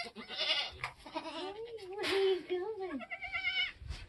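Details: Nigerian Dwarf goat on a homestead during kidding season, with a doe giving birth. A wavering, rising-and-falling bleat runs through the middle, then a brief higher tremulous bleat, with people talking in the background.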